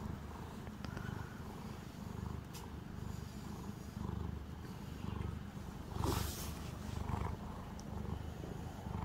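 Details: Calico house cat being brushed, purring in low rumbling pulses about once a second, with a brief broadband scratchy burst near the sixth second.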